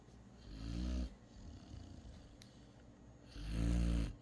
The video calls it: snoring Great Dane pup